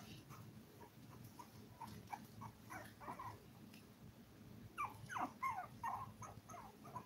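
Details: Seven Toy Poodle pups aged five weeks, filmed live while eating, playing and sleeping; soft scattered squeaks build into a louder burst of wavering whines and yips in the second half, backed by low hum.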